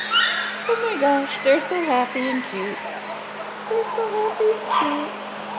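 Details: Four-week-old puppies, described as happy little boys, making wavering tonal whines that step up and down in short bursts, with a steady low hum underneath.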